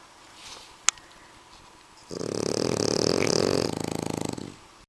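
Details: Two French bulldogs snoring: after a quiet start with one sharp click, a dense rasping rattle of rapid pulses begins, holds steady for about two and a half seconds, then stops abruptly.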